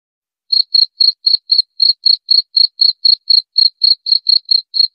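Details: Cricket chirping, presented as a sound to drive away rats: clean, high, pulsed chirps in a steady series of about four per second, starting after half a second of silence, with no other sounds.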